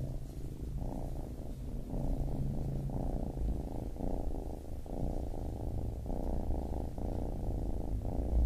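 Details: Baby kitten purring steadily, a low continuous rumble broken by short breathing pauses roughly every second, with no other sounds.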